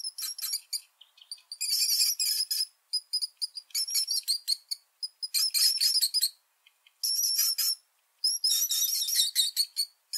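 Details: Shrill rat squeaks come in long, dense runs of rapid chittering, broken by short pauses, very high-pitched and harsh, with a quiet, empty background.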